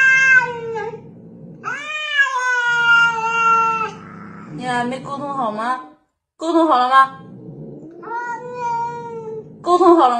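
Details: Kittens meowing indoors in a series of drawn-out, harmonic meows, some rising then falling, with brief pauses between calls and a low background murmur.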